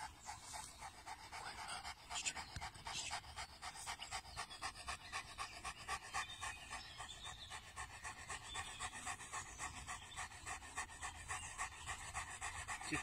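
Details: Cane Corso panting steadily, quick breathy puffs repeating about four times per second throughout, with a soft hiss running between breaths.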